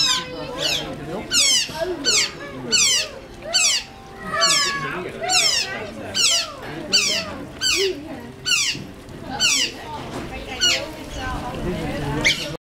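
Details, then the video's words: Excited otters in captivity in Zwolle, Netherlands, awaiting feeding, squeal in rapid overlapping bursts, piercing downward-sweeping cries more than once a second, with faint human voices and music underneath. "Otters squeaking"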